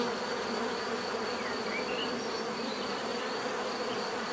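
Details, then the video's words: Bees buzz in a steady, dense drone with layered low hums, a continuous swarm-like sound without pauses, and a faint thin whine held high above throughout. "bees therapy relaxing natural buzzing sound"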